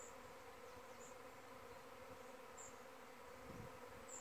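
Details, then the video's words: Dense airborne honey bees from the hive give a continuous buzzing drone. The steady hum is dotted with faint, brief high chirps recurring about every second or so. "Honey bee (queen maiden flight)"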